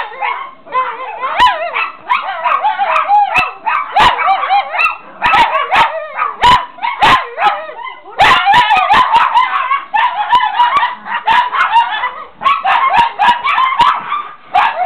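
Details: Excited Chihuahuas in a prolonged chorus of overlapping yelps and wavering howl-like whines, nearly continuous for the whole stretch, punctuated by sharp clicking or tapping sounds.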